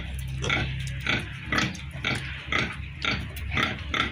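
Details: Piglets on a pig farm squealing in a rapid series of short, shrill bursts, roughly two per second, over a steady low hum of farm machinery.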